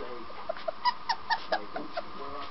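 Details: Puppy learning to bark, giving a string of short, high yips spaced a fraction of a second apart over a low background murmur.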